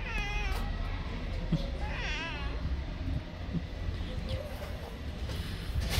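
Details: Street-living orange tomcat in heat yowling at a fellow male he mistakes for a female. A short meow opens, then a warbling, wavering cry around two seconds, with constant low-frequency background rumble throughout.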